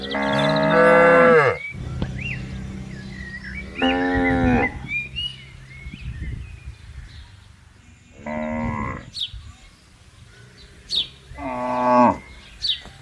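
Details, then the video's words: Tame cattle in a herd grazing on a green field in the morning, open countryside; a long harmonic moo opens, then three shorter moos follow at roughly four-second gaps, with small birds chirping in the background. "Suara Sapi Lembu Menggema di Ladang"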